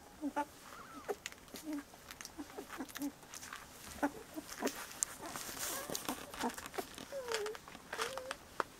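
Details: Young Bordoodle pups at 17 days old whining and squeaking repeatedly, with short rising and falling cries through the clip and a longer drooping whine near the end, over constant rustling.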